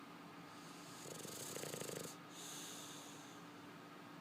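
A sleeping English Bulldog gives a raspy, fluttering snore on the in-breath, its vibrating texture lasting about a second. A quieter, airy exhale follows over a low background hiss.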